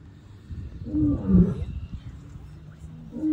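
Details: A male lion on safari in the Serengeti, Tanzania, gives a deep, rumbling roar that swells briefly and then fades.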